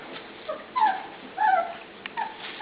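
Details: A few drawn-out, falling whines from young dogs in their pen around feeding time, two clear cries a second or so apart among softer murmurs.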